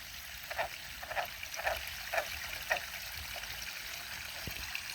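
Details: A frog hidden in bushes beside a garden pond on Aug 29, 2022, calls with brief, clicking or croaking notes, roughly two a second but unevenly spaced, over steadily trickling water.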